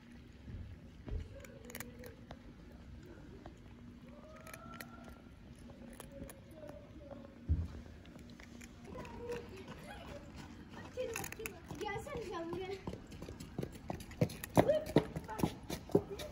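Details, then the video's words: Tabby cat among the street cats fed daily in Istanbul, meowing loudly as if hungry: a few short, rising-then-falling meows in the first seconds, then busy clicking, crunching and rustling with a human voice nearby. "Beautiful cat meows loudly as if to say I'm so hungry"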